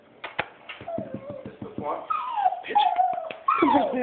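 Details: Dog crying indoors while its owners are abroad in Switzerland for a couple of weeks, missing them: sharp clicking taps, then high, wavering whines that slide up and down, with a person's voice nearby.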